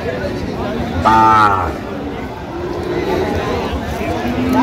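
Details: A cow (gabhi) at Aftabganj cattle market on 1 November 2025, among lean, bony animals for sale. One short, loud, harmonic moo with a low base lasting under a second, surrounded by traders' bargaining voices and steady crowd noise.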